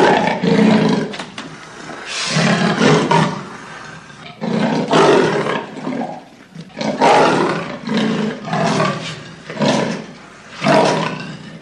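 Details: Leopard roaring in a series of harsh, rasping bursts, each about a second long and separated by short breathy pauses, with no other clear sounds behind it.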